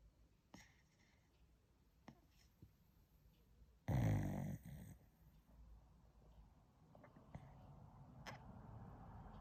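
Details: A dog snores in its sleep: a single loud, throaty rasp around the fourth second fades over a second, with a few soft ticks and a faint hiss before and after.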